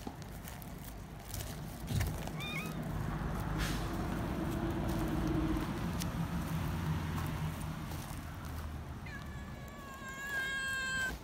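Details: Young community cats, excited at being picked up and held, let out a shrill cry: a long, high, harmonic meow near the end that falls slowly in pitch. A short faint mew comes earlier, with steady low rumbling noise throughout.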